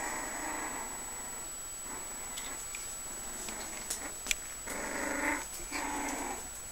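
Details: Five-week-old Puggle puppies indoors, born in March 2011, making soft whimpering and grumbling noises in short bursts of a second or so, with pauses between and a faint steady whine in the background.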